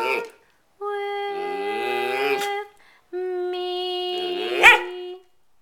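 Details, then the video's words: Dog singing along to the Oscar Mayer Wiener song indoors: two long steady tonal howls, each about two seconds, the second ending in a brief sharp yip. "Our Dog Max singing the Oscar Mayer Weiner song"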